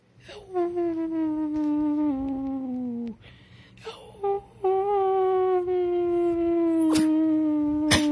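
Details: Charlie the dog howling indoors: long sustained tonal howls, the first held for nearly three seconds and sliding slowly downward, then a short break and a second long steady howl, with a few clicks near the end.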